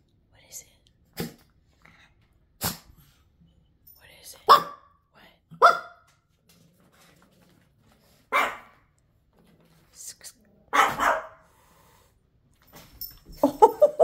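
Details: Pekingese dog giving short, sharp barks spaced several seconds apart, with a few soft clicks between them and a person's voice nearby.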